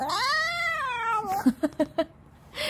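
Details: Six-year-old male Maltese whining at home: a long, drawn-out nasal whine that rises and then falls, followed by a few short, soft yelps, with a person talking nearby.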